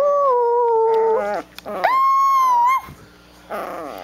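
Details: Chiweenie puppy aged one to two months back talking while fighting with its mother; loud, drawn-out whining howls, one held then breaking upward, another rising and steady, with short yips between.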